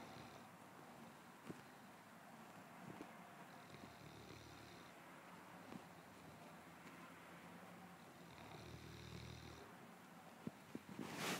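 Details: Sebastian, a one-year-old Landseer Newfoundland dog, asleep on his bed on a Sunday morning, gives two slow, low, throaty snores about five seconds apart in a quiet room, with a brief rustle at the end.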